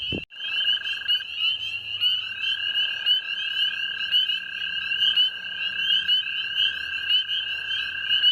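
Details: At night early in the 2019 season, male spring peepers call in a thick chorus by flooded areas in bear country, their shrill, upslurred peeps overlapping into a steady ringing over a lower, even trill.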